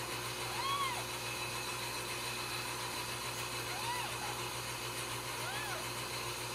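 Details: Ragdoll kittens raised in a home cattery in central Kansas, no cages, give several thin, high arching mews, rising then falling, spaced a few seconds apart over a steady humming, machine-like background drone.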